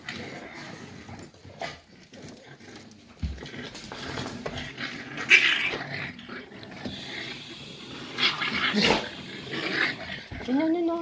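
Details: Six-week-old Staffordshire Bull Terrier puppies of the 54th litter at Staffordland, recorded 11 December 2023; low rumbling growls mixed with short squeaks, ending in a thin rising whine, indoors with room noise.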